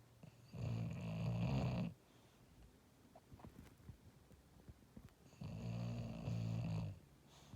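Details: A sleeping, dreaming English Bulldog gives long, deep, rattling snores, each breath rumbling over a second, with quieter pauses and faint room noise between.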